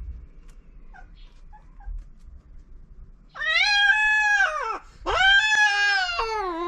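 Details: Feral cats on a cat island in Japan during mating: after a quiet start, a loud drawn-out wailing yowl rises then sags, breaks briefly, and resumes as a second harmonic-rich howl falling in pitch.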